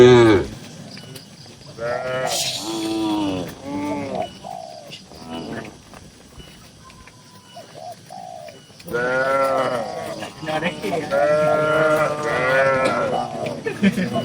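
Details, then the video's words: Calm tame cattle, dozens of them, in a farm barn; a burst of short bellowing moos early, then quiet with soft pigeon coos, then a long run of loud, rising-and-falling moos overlapping near the end. "Suara Moo Moo Sapi Lucu dan Menghibur"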